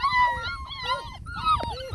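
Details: A beagle puppy named Jack, one of several puppies in a play area after breakfast, raises the alert at an approaching person with high, wavering whines and yips that rise and fall in quick bursts, spinning in circles.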